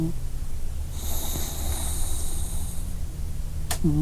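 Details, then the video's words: Sleeping dog breathing heavily, a low rumbling snore-like drone with a breathy hiss rising through the middle seconds and a sharp click near the end. "Sleeping Dog"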